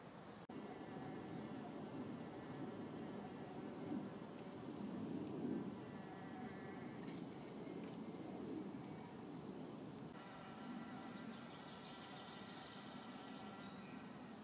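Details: Buff-tailed bumblebee workers, the first of April 2014, entering a garden nest box while many other bees gather around it; a steady low droning hum with layered overtones swells and fades, with fainter higher buzzing near the end.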